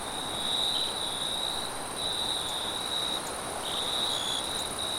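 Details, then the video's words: Crickets calling at night in a forest, a steady high chirping pulsing in short bursts with brief gaps, over a soft bed of wind noise. "Crickets And Wind Sounds At Night"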